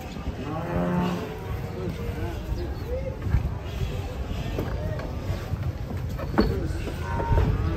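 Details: Enraged cow being unloaded from a truck, with a drawn-out harmonic moo near the start, set against a steady low rumble of engine and crowd noise with scattered voices.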